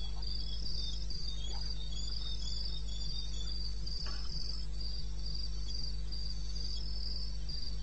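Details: Crickets in the wilderness of eastern Botswana, recorded 21 May 2016 at 2:30 am: high, shrill pulsed chirping in a steady band, repeating continuously, over a low constant hum with faint scattered clicks.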